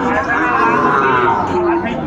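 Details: Sahiwal bull calves at a cattle market in Chattogram, Bangladesh, on 13 December 2024: a steady, drawn-out low moo holds through the whole stretch while buyers bargain in the background.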